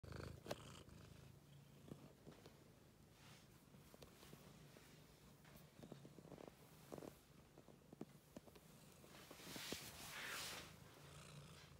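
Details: Domestic cat playing in a laundry basket, purring steadily as a low continuous rumble, with scattered rustling and scratching from the basket and a brief louder hiss of movement near the end.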